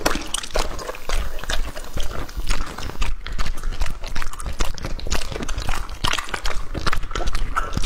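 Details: Lucky, a two-and-a-half-year-old English-type Labrador, eats raw meat including quail, lamb testicles, duck heads and pig heart; continuous loud, wet crunching and squelching bites, rapid and uneven, in a small indoor space.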